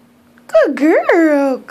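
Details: Puppy Molina gives one loud, wavering cry indoors as she struggles to get up the stairs. The pitch dips, swoops up and falls again within under two seconds.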